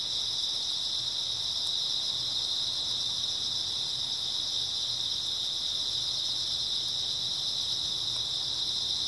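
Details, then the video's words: Grass insects on an early autumn night: a dense, unbroken chorus of high shrill trilling. Two steady bands sit one over the other and never pause. A faint low rumble lies beneath. "초가을 밤부터 새벽까지 백색소음 풀벌레 소리"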